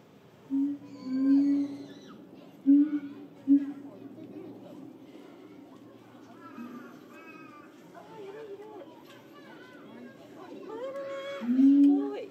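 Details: Cage, a caged gibbon housed near the gorilla house and famous for loud cries, squealing during the gorillas' breakfast: loud hooting notes, some swooping upward and wavering, in bursts around one, three and twelve seconds, with soft crowd chatter behind.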